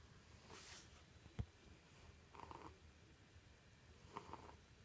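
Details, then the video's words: A pet cat snoring loudly in its sleep: soft, noisy breaths, each about half a second long and roughly two seconds apart, with one sharp thump and a brief rustle earlier on. "Snoring kitty"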